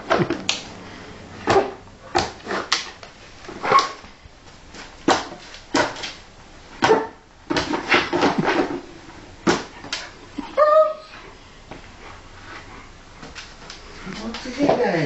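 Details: Cloud, a female Alaskan Malamute, plays with her frisbee indoors, giving short gruff barks and grumbling yips in irregular bursts, one brief whiny rising-falling howl near the end, with thumps and a person speaking.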